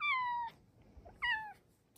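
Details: Female Silver Bengal cat indoors coming to her cat cave to ask for cuddles; two clear, sweet meows, the first long and gently falling, the second shorter, with a quiet room behind.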